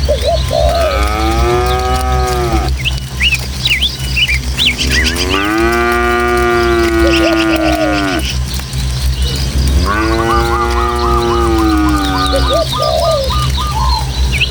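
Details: Tame village cattle, a herd of dozens heading through hilly countryside along footpaths toward their pen, give three long, drawn-out, harmonic moos, each lasting two to three seconds. Birds chirp steadily overhead against a low breezy rumble.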